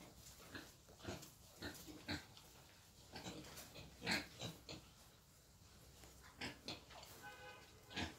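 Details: Wild boar being taken for mating, giving short rough grunts in irregular bursts about every half second, with people talking nearby and a higher-pitched sound near the end.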